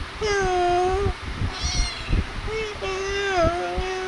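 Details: Kittens at play and feeding give drawn-out, slightly wavering meows, one long steady cry, then a short one and a longer cry dipping in the middle, over soft thumps and faint background chatter.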